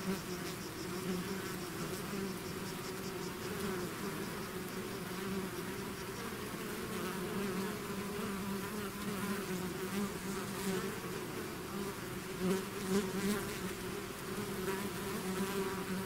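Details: A swarm of bees out of the hive fills the air with an unbroken low buzzing, pitch bands shifting slightly as individual insects pass closer, several louder flyby swells toward the end.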